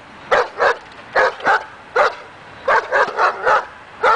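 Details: Dog on an agitation table during confidence training; sharp barks mostly in pairs, about one per second, with short gaps and a faint steady background hiss.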